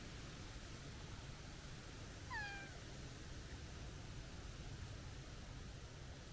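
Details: Plump stray tabby cat uttering a single short, high-pitched kitten-like meow that dips slightly at the end, over steady low outdoor rumble.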